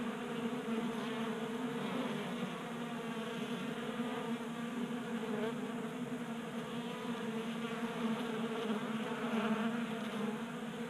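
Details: Honey bees crowding a 3D printed feeder in a Colorado garage in January, staying active in 60-degree heat; thick continuous buzzing hum of many wings, even and steady, with faint individual passes rising above.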